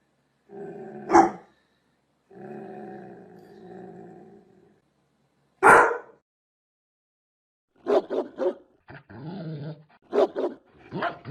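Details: Large dogs growl in low, rumbling stretches broken by single sharp barks, then fire off a quick burst of five or six loud barks near the end.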